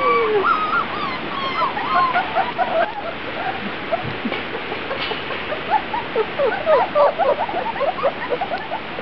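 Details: Several Grand Basset Griffon Vendéen puppies taking their first trip outside, June 23, 2009, produce a busy chorus of short, high whimpers and yips, about four per second, over a steady hiss of background noise.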